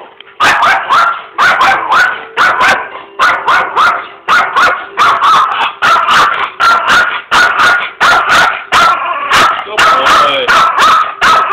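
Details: Chihuahua indoors barking angrily, unhappy about a person's presence in the kitchen; a rapid, relentless string of shrill, sharp barks, about two per second, continuing steadily for over eleven seconds without pause.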